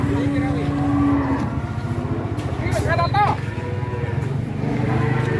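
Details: A huge Pegon cattle animal lets out a sustained, steady low moo at the start, followed by a short rising and falling bellow midway, with engine rumble, nearby speech and a brief high sliding tone.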